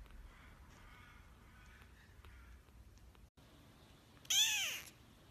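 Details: Newborn kittens trying to open their eyes for the first time; after a few seconds of faint, quiet background, one loud, high mew arches up and down with stacked bright harmonics and lasts about half a second.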